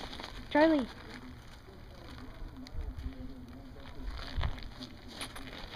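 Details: Dog at a dog daycare in Hooksett, New Hampshire, giving one short, sharp bark that arches up and down in pitch, followed by steady crackling background noise and faint low rumbles.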